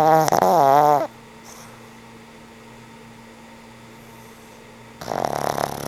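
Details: Old pug Frank N. Stein asleep and snoring: a loud rasping snore with a wobbling, rising-and-falling tone opens, then a long quiet stretch with only a faint hum, before another rough snore begins.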